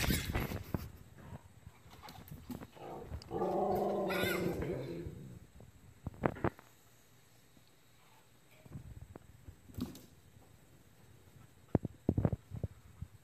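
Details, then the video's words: Fennec fox named Lucy indoors, panicking because her friends Troy and Elsa are outside without her; a harmonic, whining cry swells for about two seconds, with scattered thumps, clicks and background speech. "Lucy Panics Because her Friends are Outside"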